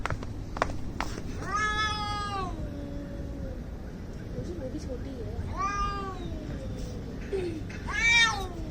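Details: Domestic cats in an angry standoff: repeated wailing yowls, each bending up then trailing into a lower moan, three bursts with low growls between them and clicks in the background.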